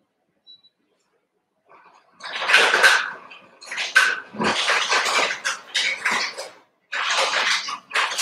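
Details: Overnight puppy-cam sound of Cavalier King Charles Spaniel pups born 06/09/2022, with Ruby and Blenheim coats. Rough, noisy yelping starts after two seconds and runs in a rapid, irregular stream of bursts.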